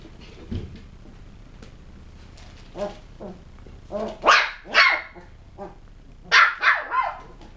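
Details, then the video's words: Westie puppies: faint soft sounds at first, then two loud high barks near the middle and three more quick yaps near the end, with low muffled thumps early on. "Puppies - Tricks and Threats - West Highland White"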